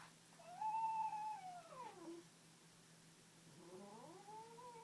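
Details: Pet cat making an unusual noise while dreaming, never heard from it before: a long wavering tonal whine rising then sliding downward, followed by a second rising, warbling moan, with a steady low electrical hum in a quiet room.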